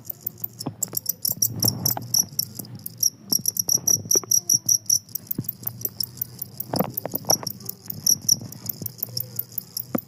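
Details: Two-spotted cricket (jangkrik kalung) that keeps chirping despite a noisy setting: rapid bursts of high, thin, pulsed chirps run steadily throughout, over low clattering, knocking and rumbling background noise.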